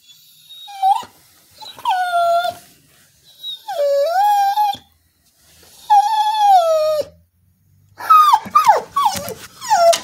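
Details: Singing female Border Collie, motive unknown: four drawn-out howls, some curving upward and others holding level before sagging, then a rapid run of short, downward-sliding yelps at the end.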